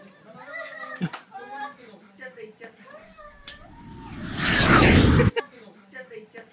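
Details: A French Bulldog, often left home alone while its owner works, greets the owner's return with a rapid string of wavering, whiny, half-howled vocal bursts.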